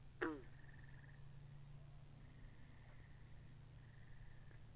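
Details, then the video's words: Binaural pond recording of frogs: one sharp, plucked call dropping quickly in pitch at the start, followed by repeated buzzy pulsed trills against a low droning hum. "Two Hours Of Frogs By The Pond"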